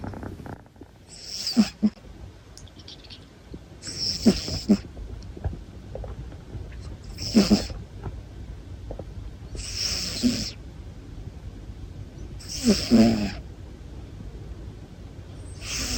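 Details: Long-haired male Munchkin cat, nearly one year old, snoring while asleep: breathy, hissing snores return roughly every two to three seconds, each a short airy rasp with a faint low rumble beneath.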